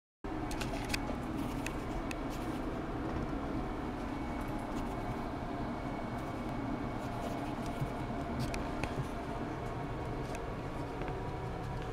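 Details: Steady broadband rumble and hiss fill the recording, with a faint constant tone and scattered clicks.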